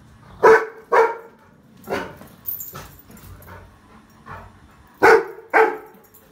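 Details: Rottweiler puppy barking at a trolley bag: paired sharp barks at the start and end, with softer, scattered yips and huffs between them.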